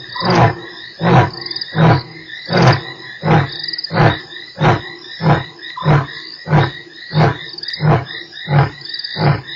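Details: Lion at Nkorho on 3 March giving the grunting tail of a roar bout: deep, even grunts repeated roughly every 0.7 seconds, with a steady insect chorus in the background.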